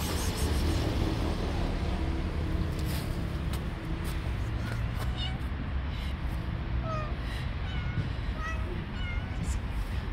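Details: Friendly orange stray cat living on the street gives several short, faint meows in the second half, rising then falling slightly, partly buried under steady wind and low traffic rumble.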